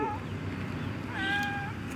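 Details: A cat found on the ground floor of a building on a misty, cold morning: a brief faint mew at the start, then one clear, steady, tonal meow lasting about half a second, over a constant low rumble of background noise.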